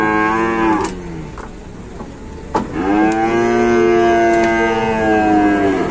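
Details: Indonesian cow, trapped and collapsed, being rescued. A moo tails off early, and a few sharp knocks follow. Then a long, loud moo swoops up and holds steady for over three seconds.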